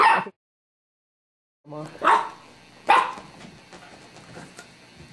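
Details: Buster the dog, playing with a new bone alongside another dog, Fi, gives two loud single barks about a second apart after a short silence, followed by low indoor rustling.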